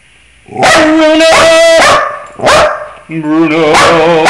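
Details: Domestic dog singing along to scales, giving brief tonal howls between sharp broadband bursts, then a sustained wavering howl with vibrato in the final second.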